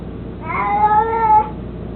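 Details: A single long, level, tonal meow lasting about one second from Mico, an 18-year-old mostly blind, chubby cat who loves his toy mouse, heard indoors against a low hum.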